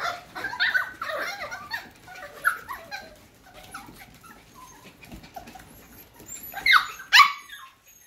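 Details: F1 cockapoo puppies, bred from a Cocker Spaniel mother and a miniature poodle father, whining in soft, wavering squeaks over a rustly background, with a pair of sharper, louder cries near the end.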